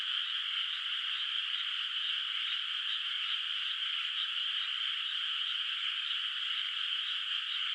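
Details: Frogs in a moonlit countryside rice paddy at night, water surface not yet planted; a massed distant chorus gives a continuous trilling hum with rapid regular pulses, steady in loudness, nothing else audible.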